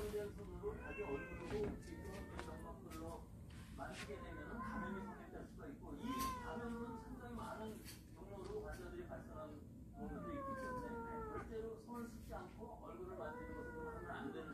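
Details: Family of cats from a storage shed that have come into the house; many soft, repeated mews with rising and falling pitch from several kittens, overlapping one another, with light clatter and faint voices in the room.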